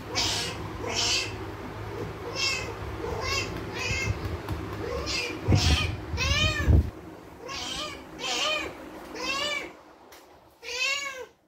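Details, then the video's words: Spayed female cat Mandy, in heat for 19 days from ovarian remnant syndrome, meows again and again. Some cries are short, others longer and arching. A low rumble and a few knocks run through the first half, then fade. "Cat in Heat for 19 days now"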